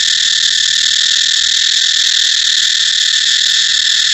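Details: Unbroken, shrill buzzing of a cicada, an even, sustained whine at constant pitch and loudness.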